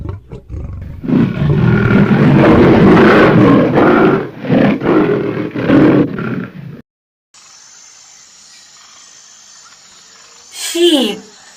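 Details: White tiger roaring: a long, deep, rasping roar swelling over about four seconds, then several shorter throaty roaring bursts, followed by a quiet steady hiss and a brief sweeping noise near the end.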